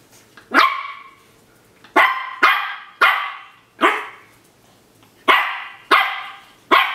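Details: Shih Tzu dog barking in short, sharp bursts, eight barks over about seven seconds at uneven spacing, some in quick pairs, with quiet pauses between and no other clear sounds.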